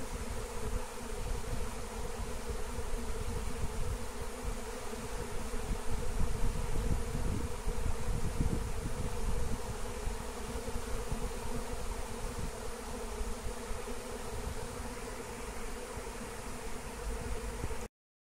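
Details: Wild honeybee swarm in flight, being captured with a Melissa plant (lemon balm): a dense, unbroken low hum of many wings, steady throughout with a slight swell near the middle, over a rumbling low-pitched background.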